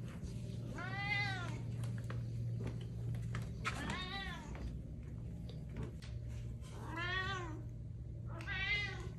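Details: Domestic cat meowing four times, each a clear, harmonic-rich call that rises then falls, spaced about two to three seconds apart, over a steady low indoor hum.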